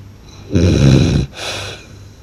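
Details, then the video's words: Blue French Bulldog snoring loudly: one long, deep, rasping inhaled snore lasting under a second, then a softer, breathy exhale, in a quiet indoor setting with a faint low hum. "หมากรนลั่นสะท้านบ้าน/French Blue Dog Snores Loud"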